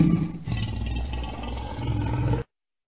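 A lion gives a deep, rumbling roar lasting a couple of seconds, then stops abruptly.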